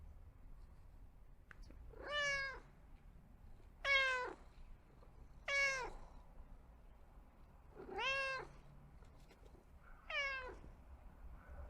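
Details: Pet cat meowing in a quiet room: five short, clear meows spaced about two seconds apart, each bending downward in pitch at the end, with faint background hiss between calls.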